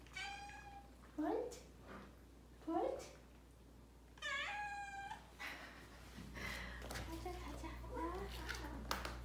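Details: Pet cats waiting by the bathroom door for their keeper to come out. Drawn-out meows alternate with short chirpy ones amid a woman's speech and laughter in a small indoor room with a low hum.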